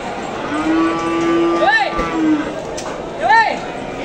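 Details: Cattle at a cattle market in East Java, Indonesia, where breeding cows are on sale: a long steady low moo holds for about two seconds, followed by two short arching, rising-falling bellows, with market background noise.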